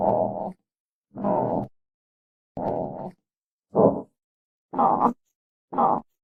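An armadillo gives a series of short, low, rough grunts about once a second.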